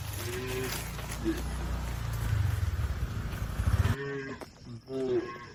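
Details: Cattle in a herd crossing a river to the livestock pen: short moos at the start and two more near the end, with a low rumbling background of water and movement in between.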